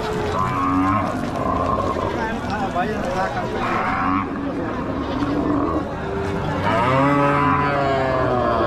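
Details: Cows at a busy village cattle market, lowing in long, harmonic moos that rise and fall, several overlapping animals calling one after another, with a constant murmur of crowd noise beneath.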